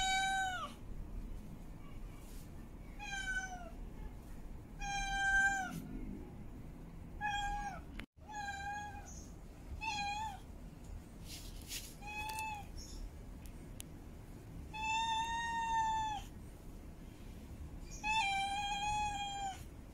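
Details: Mating calls of a female cat in heat: a long run of repeated meows, some short and clipped, others stretched and wavering, coming every one to three seconds, with a brief dropout partway through and low room hum beneath.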